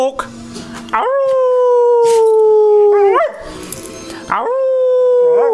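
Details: A male beagle-spaniel cross gives long, steady howls that swoop up at the start and waver at the end, excited about going for a walk.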